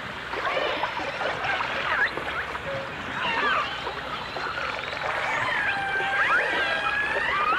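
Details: Dolphins whistle and chirp underwater in a 1989 stereo recording of dolphins and orcas, with scattered quick upward and downward sweeps building to longer arching whistles near the end, all over constant crackly water noise.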